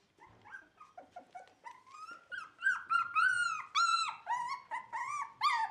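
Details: Dog from a Netherlands Shiba Inu and Samoyed breeder, recorded 4 November 2018: a fast run of high, whining yelps that grow louder and longer, some rising then falling, roughly two per second.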